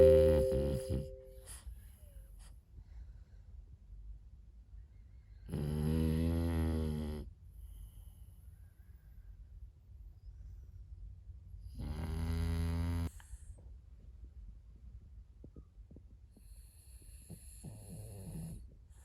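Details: Moto-Moto, a sleeping French Bulldog puppy, gives long, deep, rumbling snores about every six seconds, each lasting over a second and separated by quiet breathing, in a small indoor room.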